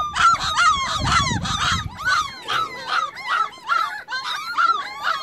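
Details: Newly sighted puppies yelp for their mother, who has wandered off: a quick series of high, honk-like whimpers about twice a second, with some low rumbling handling noise during the first two seconds.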